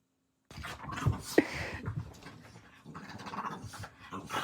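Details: Dogs roughhousing indoors at night around 11:40 instead of sleeping; low rumbling growls and panting bursts after a brief silence, with rustling of bedding.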